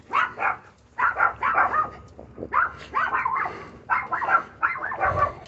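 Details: Chihuahua puppy, a female, digging under a fence and barking: bursts of shrill yips in clusters of two to four, roughly one cluster per second, with a few brief gaps between.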